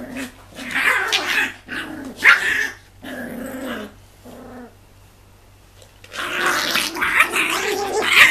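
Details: Six-week-old Tibetan Terrier puppies growling indoors: rough, buzzy growls and yappy bursts in short clusters, a quiet pause, then a longer burst of harsh growling and squealing.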